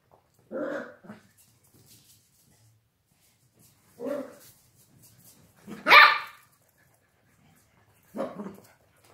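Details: Miniature Dachshund puppies Hampton Stanley and his brother Oscar playing run-around give four sharp, high yapping barks spaced about two seconds apart. The loudest, brightest yap comes third. Quiet pauses fall between them.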